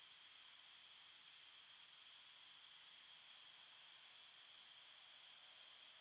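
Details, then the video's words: Crickets in a forest at night produce an even, ringing chorus of high trills, multiple layered bands sustained without pause. "Crickets Chirping Sounds"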